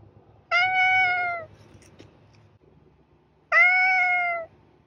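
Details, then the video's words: Two bright, loud meows from a cat spaced three seconds apart, each about a second long with a gently falling tone and rich overtones; low faint hum in the quiet gaps. "Cat Meowing Shorts Compilation"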